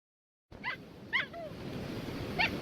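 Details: A husky puppy digging at the beach gives short, high yipping "jungle noise" whines that bend up and down, over steady rushing background noise.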